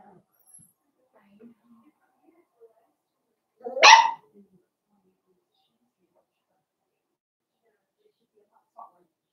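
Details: Blenheim Cavalier King Charles Spaniel puppy, one of a litter of five born at New Year, in a home puppy pen on pick-up day, gives one sharp, loud bark; near silence surrounds it, with only faint soft rustles and a small sound near the end.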